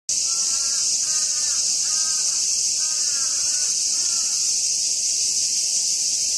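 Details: Singing Hyalessa maculaticollis cicada, seen in macro view while feeding, gives a continuous shrill buzz that stays level throughout, while fainter wavering harmonic calls, possibly a voice or bird, come in short bursts over the first four seconds.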